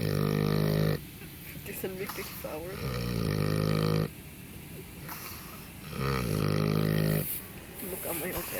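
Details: A wild boar snores in its sleep, each drawn-out, rattling low breath lasting about a second and returning every few seconds, with soft noises between the snores.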